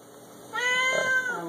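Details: Male Siamese cat, six years old, kept indoors, letting out one long, loud meow that holds a steady arched pitch and trails off, with faint room noise underneath.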